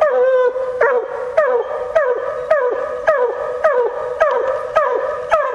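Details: On a coon hunt, a female Bluetick Coonhound gives steady, evenly spaced short barks, almost two a second, each with a quick falling tail, clear and close.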